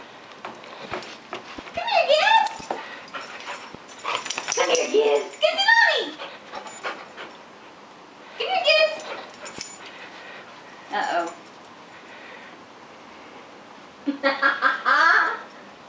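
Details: Gibbs the pet dog whines and yelps in repeated bursts indoors: high, wavering cries that rise and fall, coming in groups every two to three seconds with quiet gaps between them, and a final run of quick yips.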